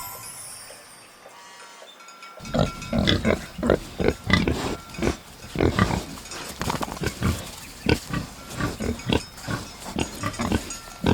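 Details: Pig grunting in a rapid run of short, rough, low grunts, several per second, continuing steadily after a brief opening of soft music.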